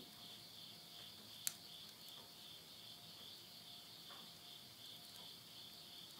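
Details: Midnight insect voices near a country house in Yurihama, Tottori, Japan, September 2020: a high, even, pulsing chorus fills the clip, with one sharp crack and scattered faint crackling from a stove fire.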